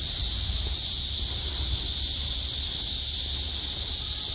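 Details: Brief stretch of cicadas buzzing on a hot August day after heavy rain: an even, piercing high-pitched drone with no pauses, a low murmur of background noise underneath.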